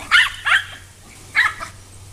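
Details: Coco the pet dog leaps after hose water while the grass is watered on a hot day. She gives three sharp, excited yips: two close together, a pause, then a third, over a faint low hum.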